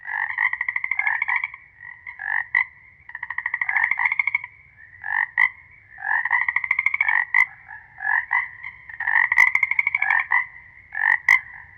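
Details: Chorus of frogs calling together, overlapping pulsed, buzzy trilled croaks in bursts of one to two seconds, some long rattling runs and some short clipped notes, with sharp clicks scattered between; no other sounds.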